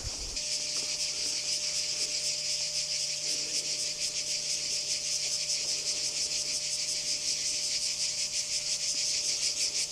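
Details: Singing cicadas at Kardamyli, 2013: a continuous shrill, high-pitched buzz pulsing in fast rough beats throughout, with a low steady hum in the background.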